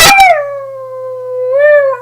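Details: Domestic dog howling on command, a sustained steady tone held for nearly two seconds that swells upward briefly near the end and then drops, following a short noisy onset, with a person urging it to sing.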